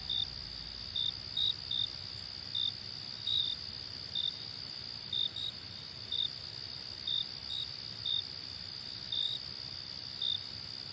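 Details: Crickets chirping as soothing nature sound; a ceaseless high-pitched trill carries short sharp chirps roughly every second, occasionally doubled, with soft low rumble beneath.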